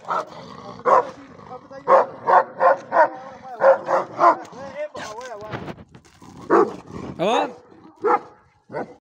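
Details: Angry sheepdog giving runs of sharp barks, several in quick series, mixed with a person's voice and a few drawn-out, wavering whine-like sounds between the barking bouts.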